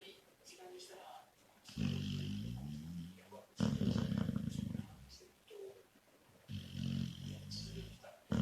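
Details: A female Labrador Retriever snores while asleep indoors, loud enough to drown out the TV, in deep, rasping rumbles that each last over a second with pauses between.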